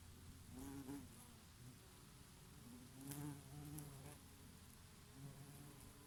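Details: Western honey bees graze on oregano flowers in a summer breeze, with a bumblebee now and then, buzzing in a low, droning hum that swells and fades as they pass close.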